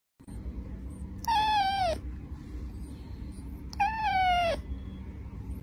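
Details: Cat meowing to wake its owner; two drawn-out meows about two and a half seconds apart, each sliding gently downward, over a steady low indoor hum.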